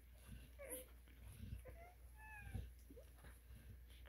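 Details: Newborn Cane Corso puppies from a litter of eleven, five females and six males, in the United States; faint thin squeaks and short whines rise and fall over soft low bumps of movement.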